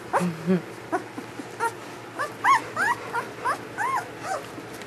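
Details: Newborn German Shepherd puppies from Ulra's first litter whimper and squeak in short, rising-falling arched cries, about three per second, over a steady low hum.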